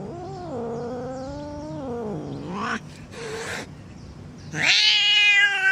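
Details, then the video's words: Angry cat's drawn-out moaning yowl with a slowly bending pitch, followed by a brief pause and then a sudden harsh, higher-pitched screech. "Angry Cats Meowing"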